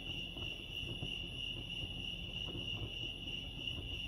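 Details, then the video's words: Steady high cricket trill at Lake Arrowhead, California, ringing without pause at a constant pitch, with a muffled low background hum and occasional faint taps. "crickets chirping lake arrowhead"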